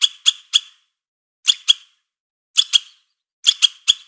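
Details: Squirrel calling in short clusters of two or three harsh, rasping chucks, each cluster separated by about a second of silence. No other sounds are present.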